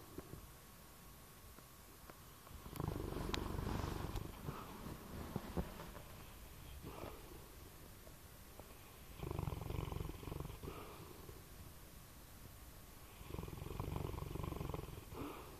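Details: A sleeping bloodhound snores: three long, low, rough rumbling breaths, each lasting about one and a half seconds and coming roughly every five seconds, with quiet breathing between them.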